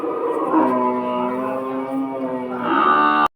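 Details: Large cattle for sale at Batajor cattle market, Bhaluka, Mymensingh: a long, low, resonant moo held for about three seconds, swelling and rising in pitch near the end before cutting off abruptly, with faint market noise behind.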